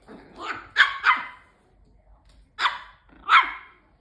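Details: Bichon Frise indoors, attacking a robot vacuum cleaner: sharp, high barks, a quick pair near the start and two more a couple of seconds later, with a soft low hum in the background.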